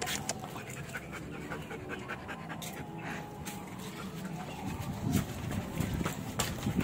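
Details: A Belgian Malinois being trained pants in uneven breathy bursts, about two and a half per second, growing louder toward the end, with scattered clicks and handling noise.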